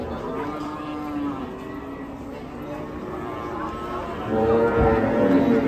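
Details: Cattle, one of a group of cows raging and running loose in Indonesia, give a moaning harmonic moo that grows louder near the end, mixed with people talking and faint music.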